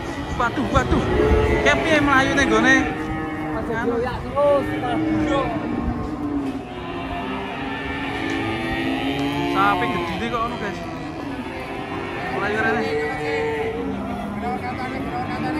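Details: Cattle being loaded onto a truck, lowing in long, drawn-out moos that overlap one another, several calls rising and falling in pitch, with people's voices faintly behind.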